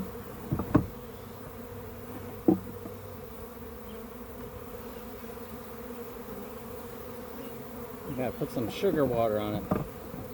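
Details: Captured backyard swarm of honey bees droning steadily at low pitch while a hive is prepared; clicks near the start, then a man's voice over the hum near the end.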